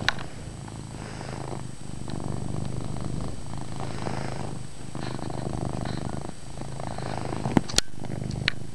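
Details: Pet cat Chase purring loudly in a dim indoor room; a low continuous rumble swells and fades with each breath, with a few sharp clicks and taps near the end.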